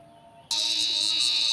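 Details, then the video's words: Giant cicada caught in a field, its very loud call switching on abruptly after half a second of quiet, then a steady, intense, high-pitched buzz held without a break. "catch giant cicadas with very loud sounds"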